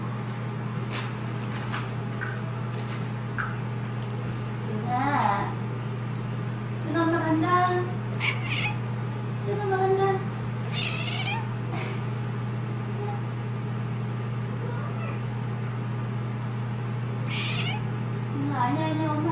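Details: A Scottish Fold cat gives a string of short, wavering meows when its owner says she is leaving, with a woman's voice between them.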